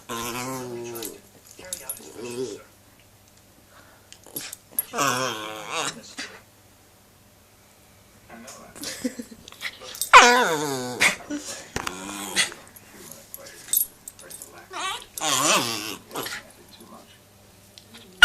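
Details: A one-year-old rescued male Shih Tzu–Yorkshire Terrier cross gives squeaky whines and little growls in bursts while play-fighting with his owners, never biting hard.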